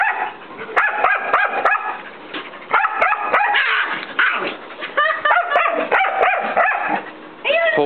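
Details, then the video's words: Playful barking from a young white mixed-breed dog, about a year old, pestering an older long-haired Chihuahua to socialize; rapid high barks in bursts, some rising and whiny, separated by brief gaps, in a small indoor room. "Bark bark bark! *ignore* BARK!!!"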